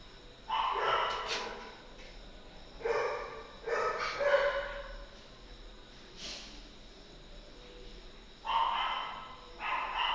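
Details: Golden retriever puppy up for sale barking in short separated bursts, roughly five harmonic yaps spread over ten seconds with quiet gaps between, some light background noise.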